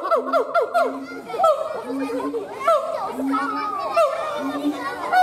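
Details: Continuous siamang gibbon howling with steady low booming notes under overlapping, quick descending yelps and wavering calls, dense and busy throughout.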